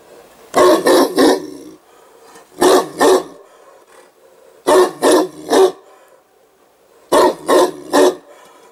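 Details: Newfoundland dog barking at a hedgehog it has spotted; loud deep barks come in clusters of two or three, each cluster separated by about two seconds of quiet.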